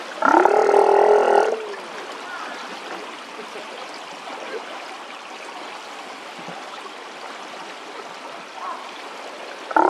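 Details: A Steller sea lion in the evening gives one deep, harmonic roar lasting over a second against steady rushing water.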